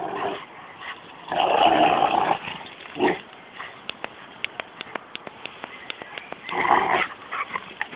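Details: Growls from play between a 13-month-old Rottweiler and a 6-month-old Jack Russell cross: loud rasping growl bursts broken by a string of sharp clicking taps and scuffles.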